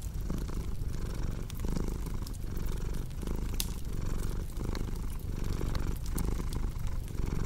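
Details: A cat's deep, rumbling purr fills the recording, rising and falling in even cycles under occasional snapping fireplace crackles.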